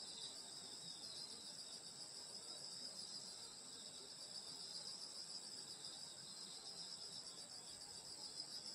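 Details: Rural summer night beside a grandmother's house, where a continuous wall of high, ringing insect trills holds steady for the whole stretch, several pitches stacked together, no other clear sounds.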